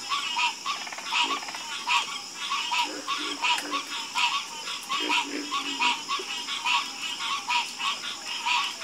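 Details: Harmonious chorus of croaking frogs, loud rasping pulses stacked in bright bands and repeated about once a second, several animals overlapping, with lower grunting croaks and a steady high hiss behind.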